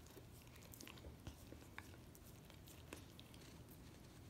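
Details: Miniature Australian Shepherd dog licking peanut butter off a foot in a close ASMR-style indoor recording. Soft wet clicks and smacks come at irregular intervals over a steady low room hum.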